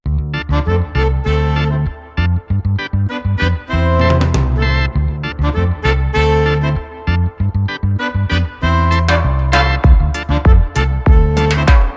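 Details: Loud upbeat instrumental music with brass, piano and steady beat throughout; no animal voice heard.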